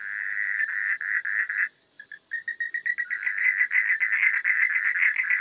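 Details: Nighttime frogs: a run of rapid croaks, a short pause, then separate staccato notes building back into quick, closely spaced pulsed calls about four per second.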